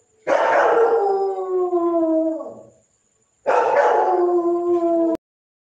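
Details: Two howls from a German Shepherd: the first falls smoothly and fades after about two and a half seconds, then a second, similar descending howl starts after a short silence and is cut off abruptly.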